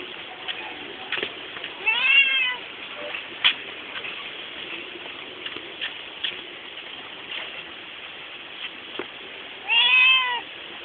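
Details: A pet domestic cat guiding its owners along, giving two clear, bending meows about eight seconds apart, each rich in harmonics and slightly rising then falling, with faint tapping and shuffling noises in between.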